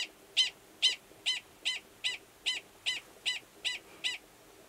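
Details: Wild male Gunnison's prairie dog in Valles Caldera National Preserve, New Mexico, March 2017, calling near a burrow holding an estrous female before going below to mate. About ten sharp, high chirped barks at a steady rhythm, roughly one every half second.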